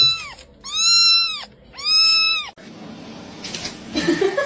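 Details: Domestic cat from a compilation of fighting cats, giving two long arched meows in a row. Each rises, holds, then falls, about a second apart. A quieter rustling stretch follows, with a faint thump near the end.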